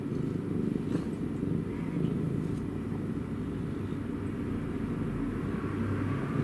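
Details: A cat purring: a low, continuous rumbling drone with a steady throbbing texture. It stays even and soft throughout, with no other clear sounds.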